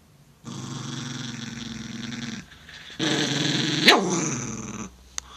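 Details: Growling Italian Greyhound called Slim, provoked by a finger: a steady low growl followed by a harsher, brighter snarl with a sudden sharp peak near the end.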